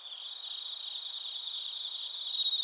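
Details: High trilling from bell crickets and other crickets in Narita, Chiba Prefecture, Japan, captured with a TASCAM Portacapture X8; a continuous shimmering pulse that swells louder near the end.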